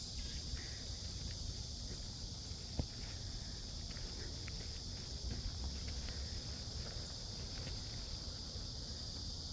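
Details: Midsummer cicada chorus in a forest in Seoul, South Korea, along a woodland path: a continuous shrill, even hum, with scattered soft clicks and thuds like footsteps and low background rumble beneath.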